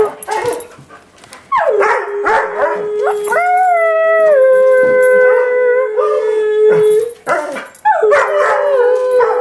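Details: Hunter, an Airedale Terrier, sings on request with drawn-out tonal howls. Each starts with a rising slide, then holds steady before a brief break. A second howl begins near the end, with scraping and handling noise at the start.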